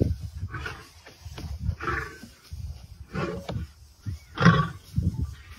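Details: Dark-maned male lions in a dominance fight at Kareiga, South Africa, 6 October 2024, heard as quieter, low, rumbling grunts and growls coming in uneven bursts about every second, with a louder surge near the end.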